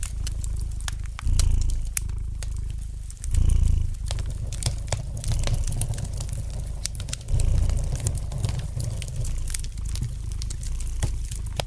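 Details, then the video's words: Gentle purring of a domestic cat, a deep continuous rumble rising in louder breathing surges about every two seconds, set against the light crackling and snapping of a fire in the fireplace. "Relax to the gentle purring of the cat and the light crackling of the fire in the fireplace!"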